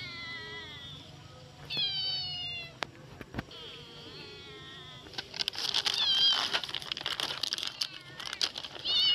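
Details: Hungry street kittens crying while food is being prepared: several high, drawn-out meows that slide downward, repeated in quick succession, followed by rustling and clatter with more short meows mixed in.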